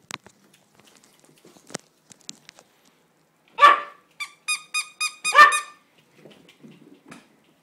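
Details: Percy, a pet dog at play indoors, lets out two sharp loud barks about two seconds apart, with a quick run of five short clipped yips between them, after faint rustling and tapping.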